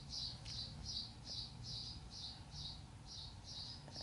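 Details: Seven young Sheepadoodle puppies from Coco's litter, 5/7/20, squeal in an even run of high, piercing squeaks, about two or three each second, against a low rumbling hum.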